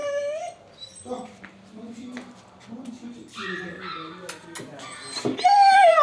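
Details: Siberian Husky vocalising: a short high whine, then low grumbling talk-like noises and mixed sounds, ending in a rising loud whine.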